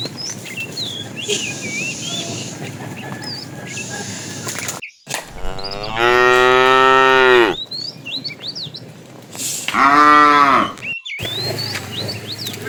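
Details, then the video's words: Cows of a tame herd roaming far looking for food give two separate moos, each a rich, harmonic lowing call lasting one to two seconds, several seconds apart, over steady chirping and twittering of birds. "A herd of tame cows wanders far away looking for food, funny cow sounds"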